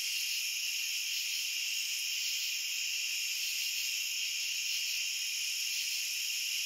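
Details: Crickets in a dense, unbroken chorus: several steady, shrill trilling layers stacked high in pitch hold an even loudness throughout, with no pauses, no separate chirps and no other sounds.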